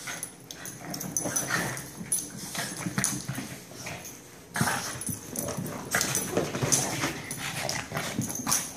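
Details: Two dogs, Benny and Lilly, going crazy again: rough, breathy growls and snorts come in ragged overlapping bursts, mixed with scuffling and clattering paws, briefly quieter near the middle before the tussle flares up again.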